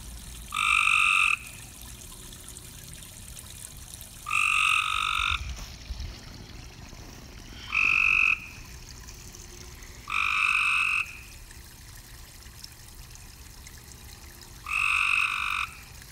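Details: Frogs calling from a pond at night: buzzy, harmonic croaks about a second long, arriving in five separate bursts a few seconds apart over faint background hiss.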